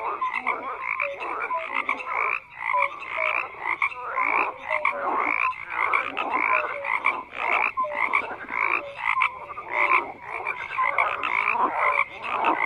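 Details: Many frogs calling together: overlapping short rasping croaks mixed with brief clear tonal notes, roughly once a second, rising and falling in loudness in an unbroken chorus.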